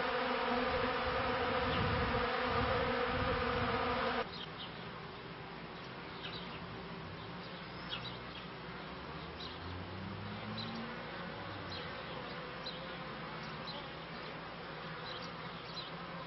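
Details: Honey bees in beekeeping footage from the end of the 1995 season into 1996: a loud, steady droning buzz with layered harmonics for about four seconds, then a softer, continuous hum with faint low rumbles.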